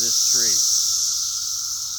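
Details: Cicadas, described as all over the place, fill the air with a loud, steady high-pitched hissing drone that holds unbroken throughout, with a brief human voice at the very start.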